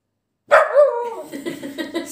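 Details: Samoyed dog during a training session, giving one loud, harmonic, whining bark that rises sharply and then trails into a wavering, grumbling moan for about a second and a half, recorded indoors.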